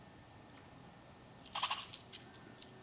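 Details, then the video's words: A squirrel in a tree gives thin, very high chirps and a brief harsh rasping burst, reacting as a neighbourhood dog starts barking. "Squirrel Making Noises"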